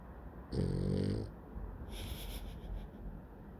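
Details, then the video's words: Sleeping dog snoring loudly, one deep, rough, buzzing snore lasting under a second, followed by a softer hissing exhale and quiet breathing. "Dog snoring loudly"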